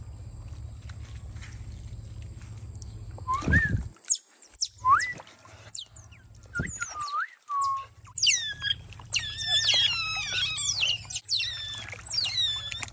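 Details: Wild otter pups during a swimming lesson in a garden; after a quiet start, sharp high chirps and sliding whistles begin, then grow into a dense, overlapping chorus of squeaky, falling calls.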